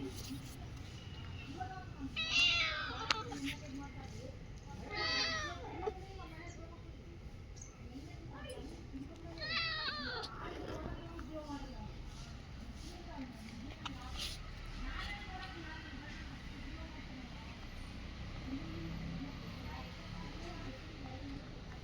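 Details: Several short, rising-and-falling cat meows spaced a few seconds apart over a steady low background hum, with quieter stretches between calls.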